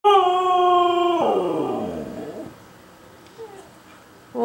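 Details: Female Siberian husky howling indoors, eager to get out after a two-day house move without exercise; a steady, clear mid-pitched howl holds for about a second, then slides downward and fades, followed by quiet room noise and a brief click.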